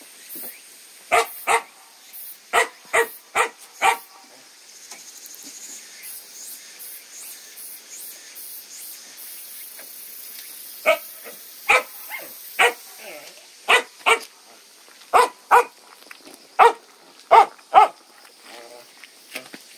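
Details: Dog barking in quick bursts of two to four barks, falling silent for several seconds before barking resumes, among a litter of puppies newly weaned onto soaked kibble; steady high hiss and soft rustling underneath.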